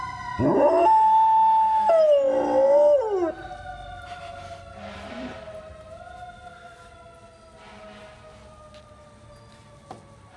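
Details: Golden Retriever howling in reaction to a fire truck siren: a loud, sustained, wavering tonal howl for about three seconds, over a long, steady, slowly falling siren wail that continues to the end.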